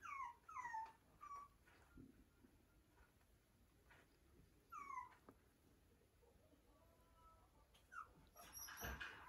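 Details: Toy Poodle puppy with white chest markings, sold by a breeder, whimpering indoors: thin, high whines that slide downward, several in quick succession at the start, another pair near five seconds, then a knock and rustling at the end.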